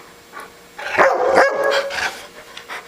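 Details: Older pet dog telling its owner that it is hungry and wants to be fed: a drawn-out, moaning, whine-like utterance with two swells lasting under a second, with the owner's voice around it.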